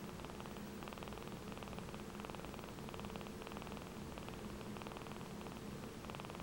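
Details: A 4-week-old kitten, described as always happy, purrs contentedly: an even, continuous rhythmic throbbing with no breaks, quiet and close.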